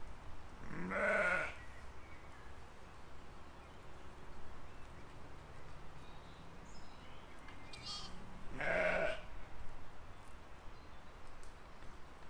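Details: Out in a field in spring 2020, grazing sheep give two hoarse, medium-pitched baas about eight seconds apart. Steady low rumble of wind or outdoor noise throughout.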